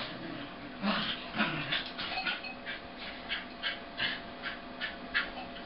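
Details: Red and white male corgi vocalizing while wrestling in play with a sable female corgi, played at half speed: breathy, growly bursts repeating roughly every half second, some rising into brighter yips, over a steady low hum.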